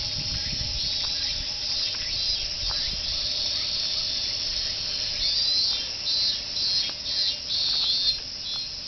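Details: Cicada chorus along the Fuchinobe Park jogging course, the "meen meen" voices merging into one unbroken, piercing high hum that swells slightly louder in the second half.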